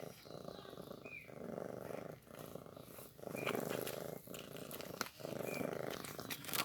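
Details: Newborn kitten feeding on milk, a steady low purring rumble broken by short pauses about once a second, with faint high squeaks above it, indoors.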